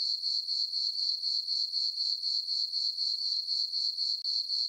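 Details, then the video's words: A summer-night chorus of crickets in a moonlit farm meadow: shrill, even chirps beat about four times a second in a continuous metallic ringing. Nothing else is heard. "Cricket chirping sounds for sleeping"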